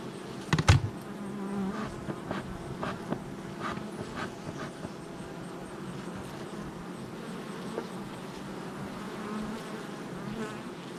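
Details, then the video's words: Honey bees swarming around their hive entrance on July 22nd, 2024, a continuous humming drone with several sharp knocks and taps early on, then an even buzz to the end. "Honey Bee Hive Entrance Activity"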